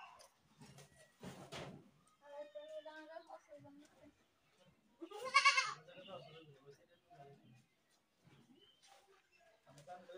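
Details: Goat screaming in loud wavering bleats with a clear harmonic buzz, one rising and falling cry near the middle, shorter bleats around it, and human voices mixed throughout.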